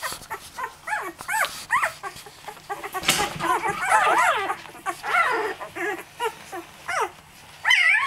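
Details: Twelve-day-old Labrador Retriever puppies from Angel's 2009 litter whimper and squeal in rising-and-falling, arching whines, several overlapping, with short yips between and a louder cry near the end.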